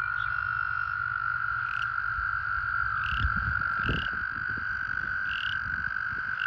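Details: American toads calling in a breeding pool during breeding season, with pairs in amplexus: a continuous, steady, even musical trill from many overlapping toads, with short upslurred chirps from another caller every second or so and low splashing sounds.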